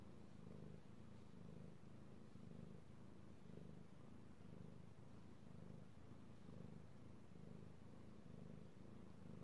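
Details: Male house cat purring as he is petted, recorded 16 March 2018; deep continuous rumble pulsing in roughly one-second cycles as the breath goes in and out, soft and even throughout.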